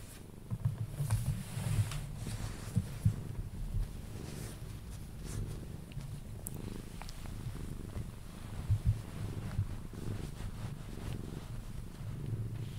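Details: Steady low purring from Pepe, a Sphynx cat being cuddled until it falls asleep; the rumble swells and eases in pulses, with occasional light taps and rustles of handling.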